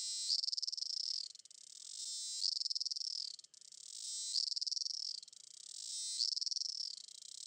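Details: A cicada (Cicadidae) recorded in Campinas, São Paulo, Brazil, on 18 September 2016 at 08:18 sings in loud, high, strident buzzing phrases, each rising then tapering off, repeated about every two seconds.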